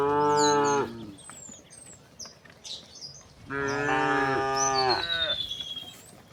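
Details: Tame cows, dozens walking in a row along a path toward a green grassy hill in the countryside: two long, deep, harmonic moos, the first near the start and the second after a pause, with high bird chirps and whistles around them.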